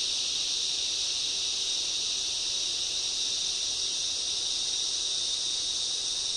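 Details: Loud cicadas in a summer rainforest form a dense, unbroken high-pitched shrill drone that holds steady and strong throughout, with no other clear sounds.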